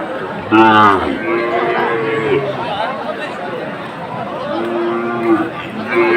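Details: Sahiwal cattle at a livestock market in Comilla, Bangladesh, 7 September 2024, where a bull was bought: several drawn-out, harmonic moos, one low and rising near the start and two shorter ones later, over steady crowd chatter and voices.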